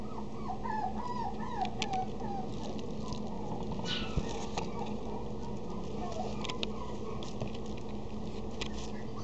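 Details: Female Maltipoo giving thin, high whimpers that rise and fall in a short series near the start, then fall quiet over a steady low hum with soft clicks and rustles.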